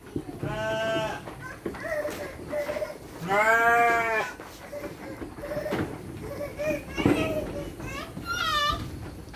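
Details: Sheep being given dry feed alongside children on a farm; two drawn-out, harmonic bleats rise and fall over adults' and children's speech, with rustling in between.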